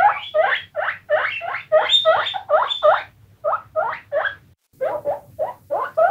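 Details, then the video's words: Several guinea pigs squeak in urgent, rising whistles repeated about three times a second, in clusters separated by short pauses. "Guinea Pigs Squeaking"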